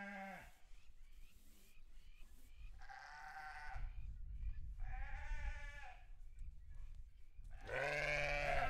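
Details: Farm sheep giving a series of quavering, nasal bleats of varied length and pitch, ending in a loud, drawn-out bleat, over a steady low rumble in the background.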